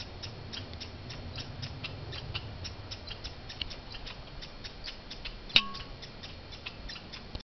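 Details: Squirrels in a fight in Banff, Canada: evenly spaced sharp clicks repeat several times a second, broken by one sudden loud knock near the end.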